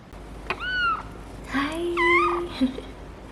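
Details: Two clear, drawn-out meows from Fox, a male Bengal cat on his first day home, each held briefly at a high pitch and then dipping, with a low steady hum and quiet voices in the room.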